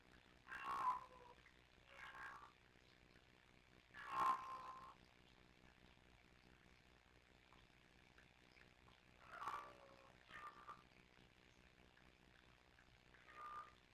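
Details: Live-cam recording of kittens Sisko and Mila of the Tiny Kittens Society trilling back and forth: scattered short chirruping calls in small clusters, with several seconds of near-silence and low hum between them.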